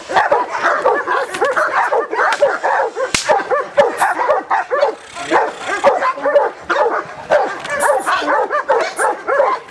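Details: A Giant Schnauzer barks in quick, arched, whiny yelps at roughly two per second, a steady, unbroken stream of sound with a few sharp clicks and faint speech behind it.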